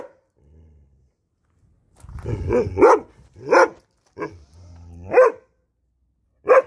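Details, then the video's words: Pet dog barking at a small angel figure. About six sharp, fairly deep barks come at uneven intervals over several seconds, with low grumbling between some of them, in an otherwise quiet room. "Perro ladrando a angelito"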